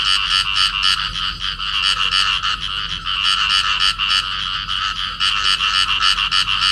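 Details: A pair of field frogs calling while clasped together in amplexus. The croaks come as rapid, rough, rattling pulses, several per second, in dense, unbroken bursts with brief dips between runs. No other clear sounds.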